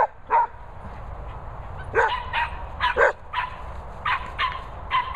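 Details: Border Terrier meeting two Cocker Spaniels in Worcestershire countryside, giving a run of short sharp barks and yips, about eight bursts spaced roughly half a second to a second apart over steady background noise.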